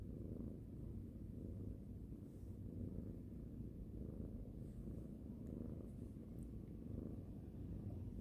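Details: Pet cat stroked at bedtime, purring in a constant low, even rumble with gentle pulses and no pauses, in a quiet indoor room.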